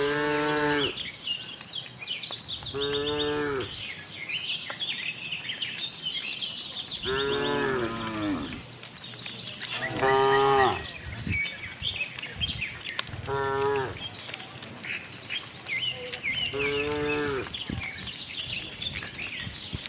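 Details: Herd of tame cattle wandering a farm in search of grass; six short to medium moos spaced a few seconds apart, some wavering, over steady chirping birds and insects.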